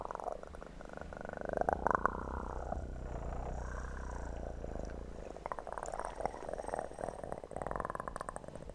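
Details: Steady low purr of a kitten, recorded as ASMR for sleep, rumbling without pause while soft brushing and crinkly handling noises rise and fade over it.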